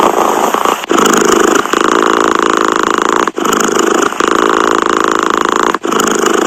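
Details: Pet cat purr, a thick vibrating drone with clear pauses near one, three and a half and six seconds, the inhale and exhale phases audibly different in tone.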